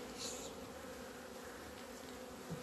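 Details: Swarming hum of honey bees emerging into the sun on 17 February 2020 after a two-month winter pause; constant low drone with a brighter overtone, a faint high chirp early on and a short thump near the end.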